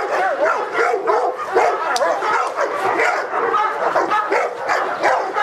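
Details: Presa Canario named Felipe de Ironbull from King Zulu kennel, barking during a protection work test: rapid, harsh barks packed closely together in an unbroken volley, with a few whining notes mixed in.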